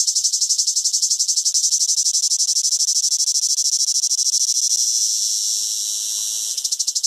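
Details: Cicada singing in summer: a steady, shrill, rapidly pulsed buzz, high and dense throughout, softening slightly for a moment near the end before the sharp pulsing resumes.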